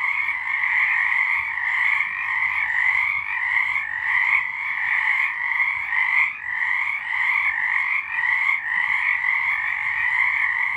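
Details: Chorusing frogs on a March night in 2023, a loud continuous trilling mass with regular small surges and dips roughly every second.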